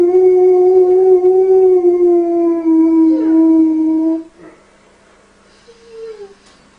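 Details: Dog howling along to a lullaby: one long, steady, tonal howl held for about four seconds, sliding slightly lower toward the end, then quiet with a brief soft rising whine near the close.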